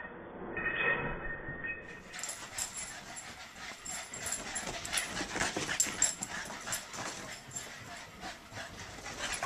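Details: Two Boston Terriers, Chauncey and Dave, play-fighting and chasing each other around the house. Soft whimpers and yips come amid dense scuffling clicks and patters, with a quiet high whine early on.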